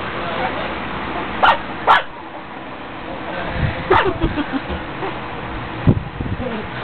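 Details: Pet puppies at play give a few short, sharp barks: two close together, then a single bark about two seconds later, with soft scuffling and background noise between them.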